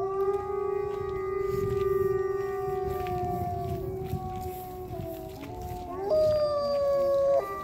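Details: Wolf in a wildlife sanctuary giving a long, steady, mournful howl, joined by fainter overlapping voices, then a higher howl that jumps up and holds near the end.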